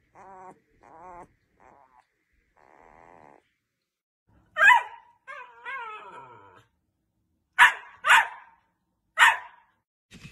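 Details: Labrador Retriever giving high, wavering whines early on, then several sharp, loud barks spaced a second or more apart in the second half, with quiet gaps between them.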